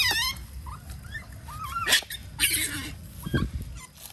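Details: Mangrove otters impatient for breakfast squeak in short, wavering whistled notes, with a quick rising chirp at the start and splashes in between.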